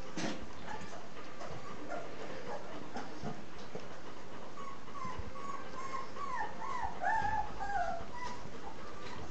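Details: Z-litter puppies, three weeks old, suckling milk; soft rustling at first, then a run of rising and falling whiny squeals about one per second in the second half.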